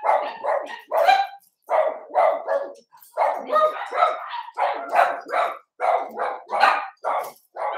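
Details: Young Cavalier King Charles Spaniels, a litter of Ruby and Blenheim puppies filmed overnight on 8/27, yapping steadily: bright, rapid barks that come in near-continuous strings with only a couple of brief breaks.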